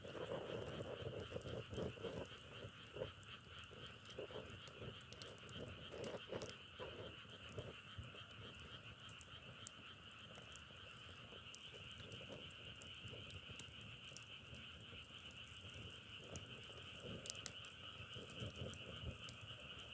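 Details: Croaking frogs in a natural outdoor setting, a steady two-tone droning trill, crackly bursts louder near the start, then a fast, uneven patter of clicks throughout.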